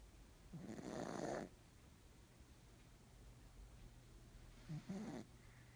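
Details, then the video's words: Nimame, a black pug, snoring loudly: one long raspy snore near the start, a quiet pause, then a shorter snort-like snore near the end, over a low steady room hum. "黒パグ 煮豆 いびきがうるさい(笑)"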